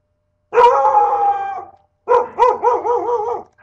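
A dog gives a drawn-out, tonal bark, then a run of quick, wavering yelps.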